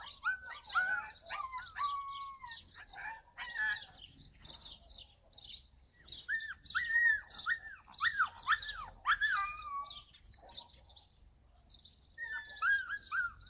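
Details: Yakutian Laika recorded in July 2020, giving bursts of high, arched yelping cries with a whine-like edge, several per second in clusters separated by short pauses, with faint hiss and scratchy high sounds in the background.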